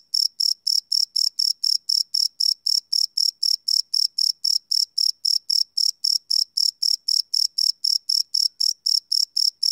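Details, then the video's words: Crickets at night, recorded live without loops: bright, high-pitched pulsed chirps in a rapid, steady rhythm near four per second, continuing without pause and with no other sounds. "Cricket Chirp Sound - Cricket Sounds at Night"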